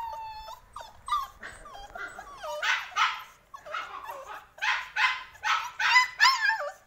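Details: Male Samoyed in action, giving a continuous series of wavering, yodel-like whines and yelps, rising and falling in pitch, coming in quick bursts that become louder and more emphatic over the seconds.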